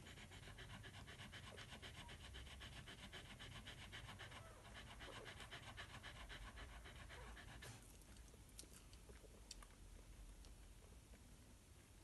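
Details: Snowleaf's Daylight, a Miniature Australian Shepherd dam, nursing her eight one-day-old pups of her first litter; quick, even breathy pants for about eight seconds, then near-silence broken by soft clicks and shuffling.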